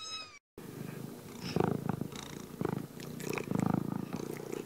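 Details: Domestic cat with the tail of a meow, then a loud, rasping, throbbing purr with uneven surges and breathy snuffles close to the listener.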